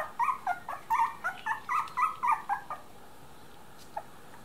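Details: Whimpering litter of three-week-old Miniature Dachshund puppies: about ten loud, tonal, wavering whines in quick succession over nearly three seconds, then quiet with one faint click.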